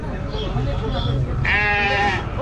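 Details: A sheep gives a quavering, nasal bleat over the murmur of a crowded, noisy livestock market, the Niu-Yang sheep and cattle bazaar in Kashgar, Xinjiang, around noon.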